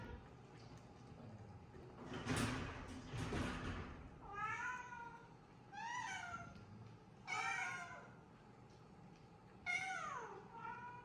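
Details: Shelter cat in a converted former school in Japan meowing repeatedly, four or five clear, bright meows that rise then fall, spaced a couple of seconds apart, preceded by two bursts of rustling noise.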